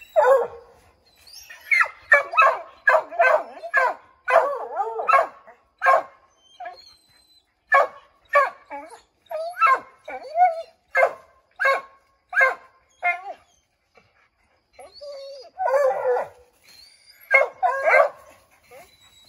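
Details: Pack of Redbone Coonhounds treeing a chipmunk in an oak, barking to send it scrambling down; rapid sharp barks roughly twice a second for long stretches, mixed with a few wavering howls near the end.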